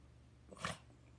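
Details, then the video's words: Pet dog making its trained 'talking' sound, now given unprompted to ask for food: one short, strained, voice-like yelp of under half a second, harmonic and rising then falling, in a quiet room. "my talking dog"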